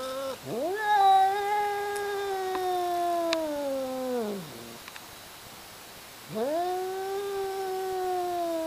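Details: A pair of cats in a fight, hollering: two long, loud moaning yowls, each starting with a quick upward swoop, holding a steady, slowly sinking tone, then sliding down at the end, with a quiet gap between.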